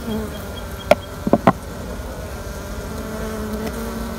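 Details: Honey bees of a queenless colony being used for queen rearing: a faint, steady low hum with layered tones, broken near the start by a few sharp clicking taps.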